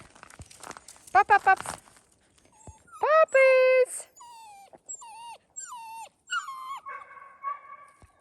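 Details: Seven-week-old fox red Labrador Retriever puppies, introduced to the outdoors for the first time, make a burst of quick yelps, then a long high squeal and a series of short falling whines, with a person's voice early on.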